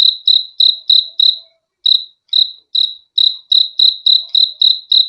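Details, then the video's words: Cricket giving bright, high, pulsed chirps in a quick series, briefly pausing twice before resuming its rapid rhythm; no other sounds present. "BEAUTIFUL SOUND OF CRICKETS"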